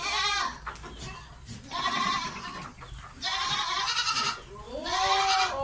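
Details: Goat in heat calling for a mate, producing loud drawn-out trembling bleats roughly every one and a half seconds, rich in harmonics and slightly falling at the ends.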